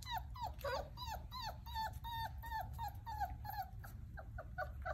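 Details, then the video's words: Playing Basset Hound puppies whimper and yelp in a fast string of short, high, downward-bending cries, close together and irregular, with a constant low hum underneath. "Basset hound puppies"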